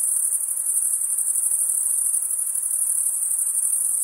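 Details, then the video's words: Night insects produce an unbroken, piercing high buzz-trill with a slightly pulsing texture, steady in loudness throughout, over a faint lower hiss and nothing else. "Night Insect Sound"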